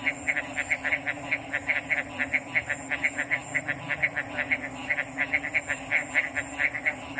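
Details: Rapid, rhythmic frog calls: bright clipped notes follow one another a few times a second in a lively chorus, with a persistent thin high tone and a low steady hum behind them.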